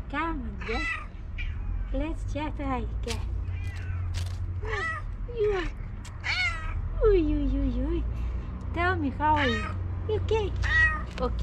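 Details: Female house cat waiting for breakfast, giving quick successive meows, short bent mews and a longer wavering one, with a constant low hum and soft background sounds.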